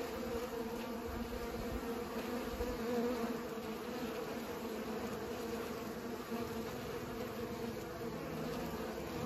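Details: A busy drone of bees pollinating, a continuous layered buzz that grows a little louder around the middle before settling back.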